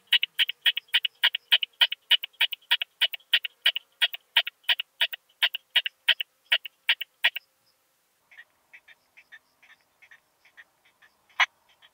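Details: Curve-tailed plump bush-cricket singing at Hohenbrugg an der Raab, Austria, on 4 June 2021: a fast train of short, sharp ticking pulses for about seven seconds, then a pause and fainter scattered clicks ending in one louder snap.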